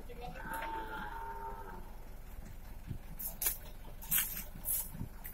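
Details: During the transfer of beef cattle from Batu prison to Nusakambangan open prison, Indonesia, one cow gives a wavering moo of about one and a half seconds, followed by scattered metallic clanks and thumps.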